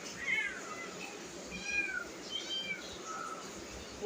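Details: Pet cats indoors crowding near cooking food: a string of short, high, thin mewing calls, some rising then falling, spaced irregularly about every half second to second, over soft background room noise.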